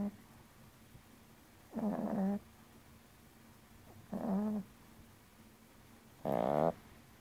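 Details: Sleeping Yorkshire Terrier snoring indoors: three short, low, rattling snore bursts about two seconds apart, each with a buzzy harmonic tone and slight upward swell, separated by quiet breathing and faint steady background hum.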